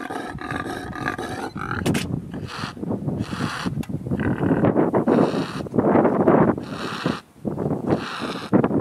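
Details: Male impala calling during rutting season, dated 08.05.11: loud, continuous rasping growls and snorts, with harsh bursts following one another almost without pause.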